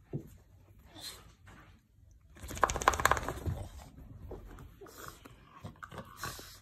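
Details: A French bulldog rolling around lets out a gruff, grumbling vocal burst, wanting to play.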